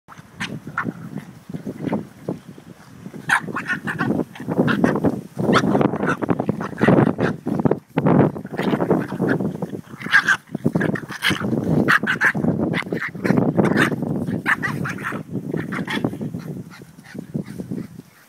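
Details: Boston Terrier puppies, about three months old, scuffle with rough, rasping growls and snuffling yips as one shows who is boss.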